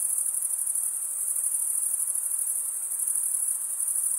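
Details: A short stretch of cricket chirping, made by males rubbing a wing edge over the comb-like teeth of the other wing, forms a constant high whine with a slight rapid throb.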